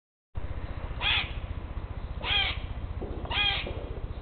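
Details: Eastern grey squirrels on separate trees calling to each other in a territorial dispute, classic screeching and "que que que" sounds; three harsh, raspy screeches about every 1.2 seconds over a steady low rumbling background.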